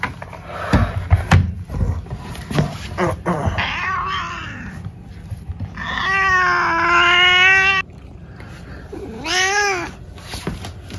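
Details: Indoor pet cat giving a long, drawn-out wavering meow followed by a shorter rising-falling meow, after several seconds of clattering and handling noises.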